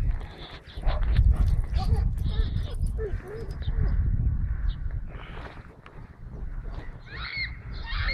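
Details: A Staffordshire Bull Terrier on the trail of a female in heat gives short whimpering moans around three seconds in and thin high squeaks near the end, over a heavy low rumble and handling noise.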